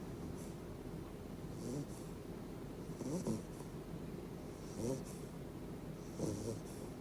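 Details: Two-month-old Beagle puppy fast asleep, snoring loudly enough at night to wake people; four soft rasping snores come roughly every one and a half seconds, each a short breathy rumble with a faint hiss, over a quiet room.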